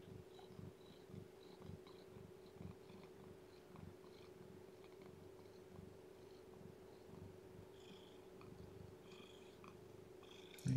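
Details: Indoors, as a weak newborn kitten that has lost weight is fed and kept warm, a domestic cat purrs steadily. Low pulsing rumble continues without pause, with light clicks near the end and an electrical hum beneath.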